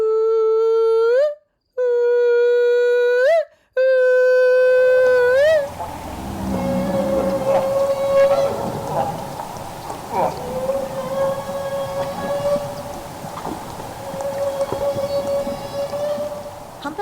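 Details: Humpback whale feeding calls from North Pacific whales in Alaska: long, steady, trumpet-like tones near 500 Hz held at one pitch, each ending in a slight upward lift, used when feeding on Pacific herring. Humpback whale.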